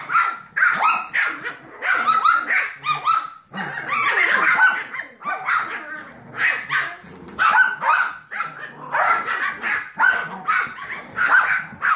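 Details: Seven-week-old Yorkshire Terrier foster puppies, among them Max, Molly and Magenta, playing with the Golden Retriever mix foster puppy Trouble. A long, busy stretch of sharp, high yaps and squeals, many pups calling at once in ragged bursts.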